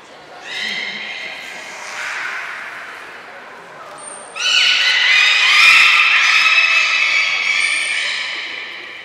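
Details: All of the belugas at Port of Nagoya Public Aquarium join a training session, 2 April 2023. Steady layered whistles rise into a dense overlapping chorus with brief high squeaks, reverberant hall acoustics.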